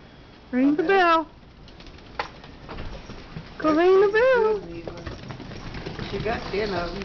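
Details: Pet dog singing along with wind chimes: two wavering, tuneful howls with quivering pitch, the first short and the second longer a few seconds later, followed by quieter vocal sounds and people talking in a small room.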